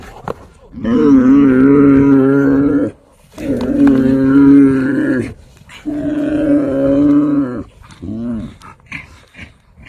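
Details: Himalayan yak from the high Himalayas giving three long, steady, moo-like calls of about two seconds each, separated by short silences, ending with a shorter grunt.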